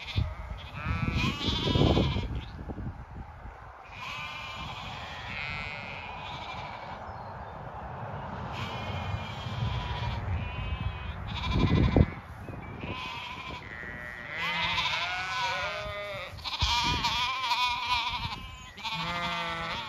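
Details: Zwartbles sheep of the main flock on a regenerative farm in County Kilkenny, Ireland, with dogs following and some sheep seeking a head scratch. Several animals give repeated, wavering, harmonic bleats that overlap and cluster toward the end, over footsteps and faint birdsong.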